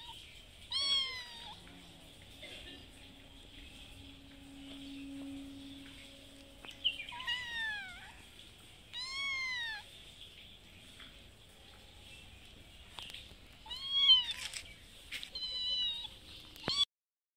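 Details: Hungry mother cat, who has a kitten, meowing for food at the house she visits twice daily; a string of arched, wavering meows, some quick in pairs, with a low steady hum midway and a brief tonal sound.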